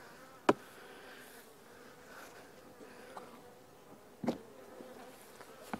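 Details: Honey bees from nucs being moved into new hives ahead of a storm, a steady droning hum of many bees with a few sharp knocks and clicks from handling the hive.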